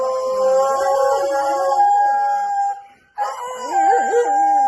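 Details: Siberian Husky howling in long, steady, tonal notes that waver slightly in pitch, breaking off near the three-second mark before a second, more wobbly howl with rising and falling bends.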